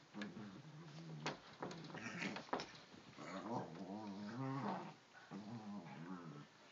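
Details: Pug and Newfoundland puppy, best friends, tussling together indoors in a bedroom; low rumbling growls and nasal whimpering whines with wavering pitch, several overlapping vocal bursts over about seven seconds.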